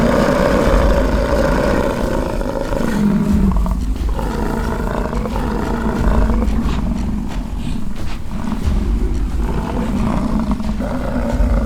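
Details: Rutting American bison fighting on a ranch in Fort St. John, British Columbia, Canada; several deep, gravelly roars run together in long, overlapping bellows over a steady low rumble, fading briefly around four and eight seconds.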